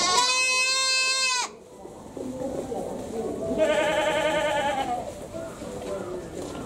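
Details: Goat in a Japanese zoo, Tobu Zoo, whose cry resembles a human's: a loud, drawn-out wailing bleat opens, followed later by a softer, quavering second bleat, with people talking throughout.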